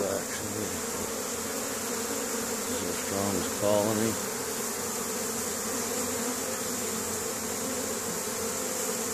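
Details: Honey bees at work on a spring day, May 10th 2015, in Caribou, Nova Scotia, Canada, foraging and bringing pollen home to the colony; a steady low droning hum with one louder, closer buzz passing around the fourth second, and a faint murmur of speech.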